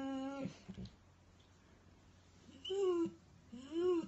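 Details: A Weimaraner dog crying indoors: a flat whine, then after a pause two rising-falling whimpers rich in harmonics, each under half a second, in a small room.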